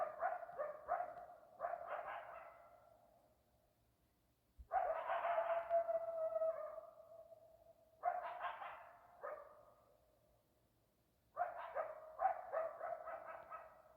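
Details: Coyotes in Arizona give clusters of quick barking yips, then a long drawn-out howl that fades, followed by more short yipping bursts at irregular intervals.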